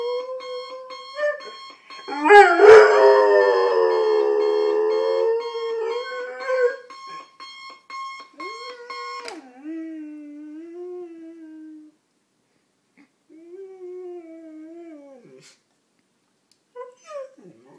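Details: German Shorthaired Pointer named Adenine, a two-year-old male, howls at a morning alarm clock until it stops. A loud, long drawn-out howl over rhythmic alarm beeps, then, once the beeping ends, softer falling whines and brief whimpers.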